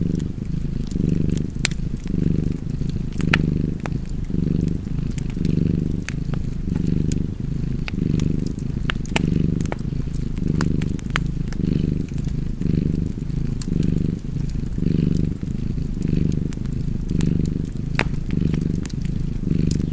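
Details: Domestic cat purring beside a crackling fireplace: a deep, steady low rumble swelling and fading in regular breaths about once a second, with sharp fire crackles and pops scattered throughout.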